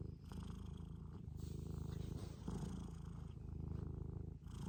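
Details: Close, steady low purr from a Scottish Fold cat, a dense rapid vibrating rumble that barely pauses, swelling slightly around the middle before settling back, with a soft airy hiss over the top.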